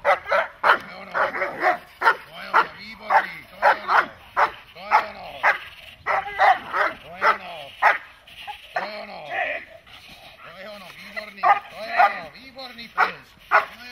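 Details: Dog in protection training, likely German Shepherd or Malinois, barking in a steady run of loud, harsh barks roughly two to three per second, with brief pauses and a handler's voice at times.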